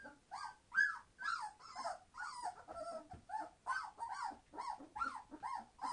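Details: Litter of 21-day-old Entlebucher Mountain Dog puppies, born 26 September 2015, calling noisily: a steady run of short whining yelps, roughly two per second, each cry arching up then down in pitch.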